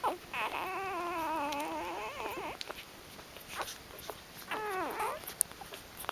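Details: Kitty's newborn puppies, part of a 13-pup litter delivered between 6am and 12:30pm, with one long wavering whine of over two seconds, then a shorter rising-and-falling squeal, amid quiet indoor rustles.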